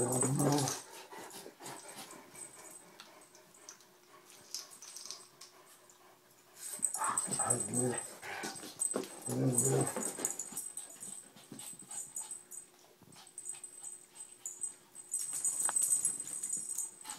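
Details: Anatolian Shepherd named Sampson playing gently with a small rescue dog, Mia, who plays rough, indoors; deep, bear-like growling bursts come in loud clusters with pauses, mixed with scuffling and faint speech.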